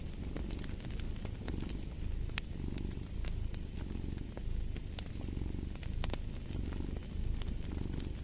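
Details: Cat purring in a low, even drone that swells in repeated breathing cycles, mixed with crisp crackling and popping of a fireplace.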